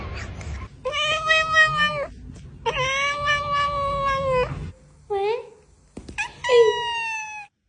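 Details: Housecat calling with two drawn-out, steady meows, each over a second long, then a few shorter rising and falling mews; faint background murmur between calls.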